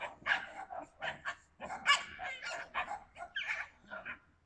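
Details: Yakutian Laika, September 2020: a rapid, uneven run of harsh, yappy barks, several close together, with some higher-pitched yips among the louder calls.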